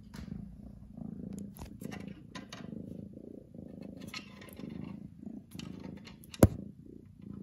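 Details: Female house cat giving a very loud, deep purr in a small room, the low rhythmic rumble rising and falling with each breath, broken by scattered clicks, rustles and one sharp knock.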